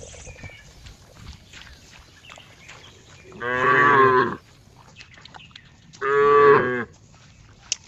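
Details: Cow giving two long, steady, rich moos about three seconds apart over a quiet noisy background.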